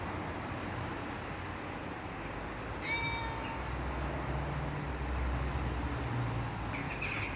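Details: A friendly male neighborhood cat visiting a fenced garden gives a single short, clear meow partway through, set against steady outdoor background noise and faint bird chirps.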